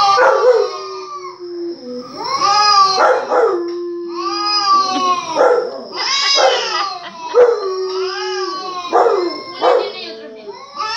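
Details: Dog answering recorded barking with repeated bursts of sharp, arching yips between drawn-out, level howling notes, continuing steadily for eleven seconds.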